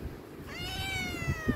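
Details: Himalayan cat begging for food gives a clear, sustained meow that rises slightly then slowly falls, lasting about a second, followed by light tapping sounds in a quiet room.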